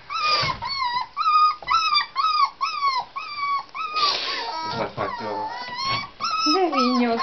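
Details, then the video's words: Tibetan Terrier puppies born 23 October, lively and chewing on each other's legs at a kennel. Repeated high, whining yelps slide down in pitch about twice a second, with a woman's speech and laughter. "Tibeti terrier kiskutyák - (tibetan puppies)"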